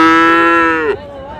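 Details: At Raniganj market on 10 August, a Friesian or crossbred bull calf gives a strong, even bellow for almost a second. It ends in a falling break, followed by a faint wavering after-tone over low market chatter.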